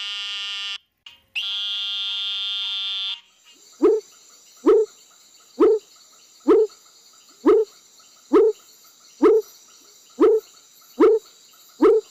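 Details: Frog mating call: after a steady tone-like hum, short sharp upward-flicked notes repeat roughly once a second, with a constant high-pitched drone in the background.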